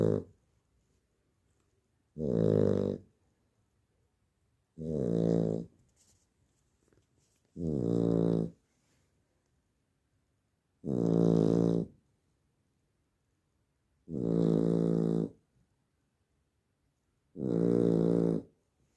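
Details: Labrador Retriever puppy snoring while asleep at night indoors: deep, rough, droning snores, each about a second long, repeating steadily about every three seconds, with quiet stillness in between.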